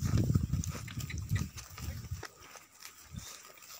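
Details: Gir cows on a dairy farm in Gondal, Gujarat, India, giving low, throaty grunting calls in a run of pulses for about two seconds, followed by a quieter stretch with faint noises and one short low call.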